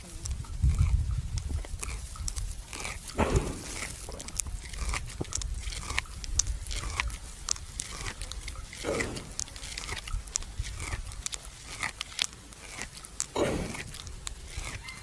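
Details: A buffalo lying at rest at noon in a farmer's field chews the cud with close, rhythmic, moist crunching and grinding, a few louder swallowing or shifting thumps, against a quiet outdoor background.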